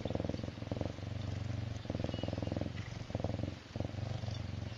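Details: Purring serval Myxa, feeling good: low pulsed rumbling in alternating stretches of roughly a second each, with short gaps between breaths, against a faint background hiss.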